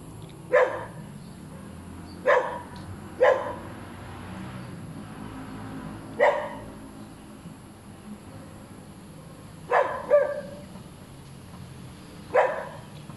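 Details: A hyperactive, noisy dog keeps on barking: six sharp, separate barks spaced irregularly over about thirteen seconds, each a short bright burst, with a low steady hum underneath.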